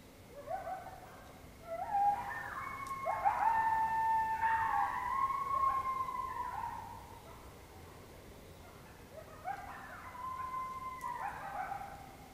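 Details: Several wild coyotes close by in Oklahoma in October 2016, howling together: overlapping wavering high howls and yips that rise, hold and slide down, in two bursts separated by a brief lull.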